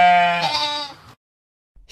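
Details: Sheep giving a single loud, strongly harmonic bleat, steady then wavering, lasting about one second, followed by silence.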